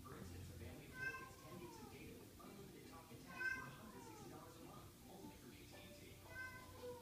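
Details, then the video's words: Domestic cats indoors meowing as though wanting to gather the pack: three clear harmonic meows about every two and a half seconds, each rising then falling, over soft speech and faint background sound. "Cats want to gather the pack"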